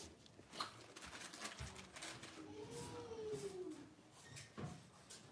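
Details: In an indoor home puppy pen, one of five six-week-old blenheim Cavalier King Charles Spaniel puppies lets out a drawn-out, arching whine that rises then slowly falls, among knocks and rustling.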